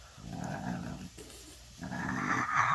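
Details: A French Bulldog, rolled over for belly rubs and scratches, makes its low, throaty grumbling 'happy sound' while being petted; it later licks its itchy paws.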